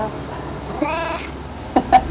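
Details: Black domestic cat, said to be hungry and wanting to go in, gives one drawn-out meow with a rising then falling tone lasting about half a second, followed by two short clicks or taps; steady low background hum, with Spanish speech around it.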